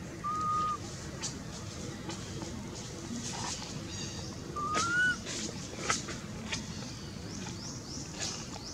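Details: Anissa, a hungry baby monkey, cries for her mother with two clear, thin whistled notes, the second rising at its end, spaced about four seconds apart over steady outdoor hiss and rapid rhythmic insect-like buzzing.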